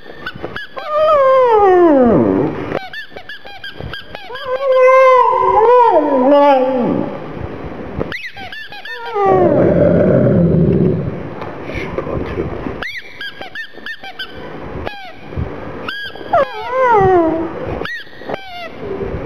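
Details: Whining black pug mascot, sad over a little ball, kept company by a rottweiler: repeated high, falling cries in bursts, with a lower, rough rumbling stretch midway before more descending whimpers.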